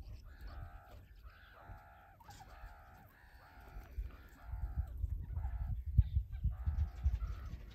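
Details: Meerkat kids wrestling and playing tag, calling in quick bursts of harmonic, nasal squawks, about two a second. Heavy low thumps and rustling build up toward the end.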